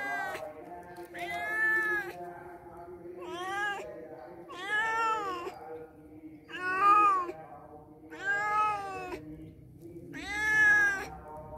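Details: Cats that came to a house and stayed only a day or two meow repeatedly: about seven drawn-out, rising-then-falling harmonic meows, each near a second long, spaced one to two seconds apart, over a quiet low background hum.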